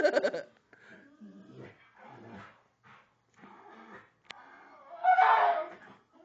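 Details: Pit bull trying to kill a Pink Panther toy. It gives rough, grumbling growls and moaning vocal bursts separated by short pauses, ending in a louder, strained whining cry, with a man speaking nearby.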